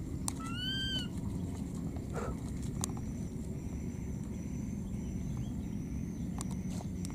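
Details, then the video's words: Lost wild baby monkey calling for its mother: one short, clear, slightly arched cry with bright overtones near the start, then silence from the animal over a steady low rumble and a thin high continuous whine. "This lost baby monkey keeps calling for its mother"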